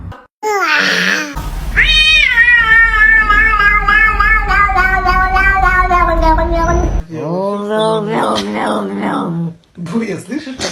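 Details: Cat making strange, prolonged wailing calls that waver and bend in pitch, followed by shorter broken meows, with some speech-like sounds mixed in.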